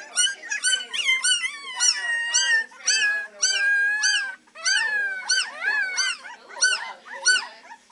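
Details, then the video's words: Several three-week-old Beagle puppies baying at the Maryland SPCA, already practicing their howling: a dense chorus of high, drawn-out wavering yelps and arched cries, overlapping and nearly continuous across the clip. "3 week old Beagle babies baying away"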